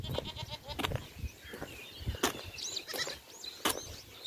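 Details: During a rainy spell, a goat kid that cannot reach its mother bleats in wavering, crying tones, calling for her; the mother answers and comes out of the grass to reunite with it.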